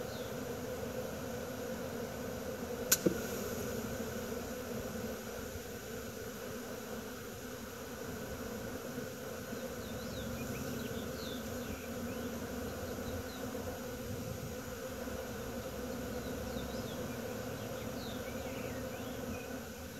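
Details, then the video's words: Swarming bees recorded in Wisconsin, June 2016, produce a continuous thick buzzing drone. A sharp click breaks in near the start, and scattered faint bird chirps sound over the hum. "Bee swarm"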